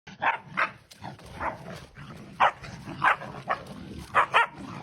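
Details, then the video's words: Puppies playing, giving short high yelping barks in quick uneven bursts, about eight in five seconds, with soft scuffling between them. "Puppies playing"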